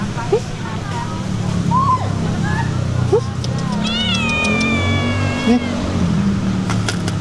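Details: Stray cats at feeding time: a long drawn-out meow with wavering harmonics in the middle, amid people talking and a constant low traffic rumble.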